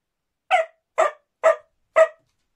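A whippet gives four sharp, evenly spaced barks, about half a second apart, demanding attention.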